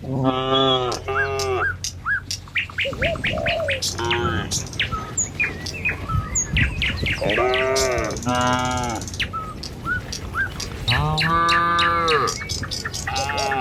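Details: Tame cattle herd walking a village road in the morning toward the pen: several long, deep, drawn-out moos, one near the start and others later, amid frequent bright chirps and tweets from birds.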